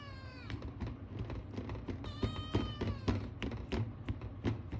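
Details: Ragamuffin kitten, male, born March 2022, begging for food indoors: a brief meow, then a higher, level, drawn-out cry about a second long, set among frequent sharp clicks and knocks.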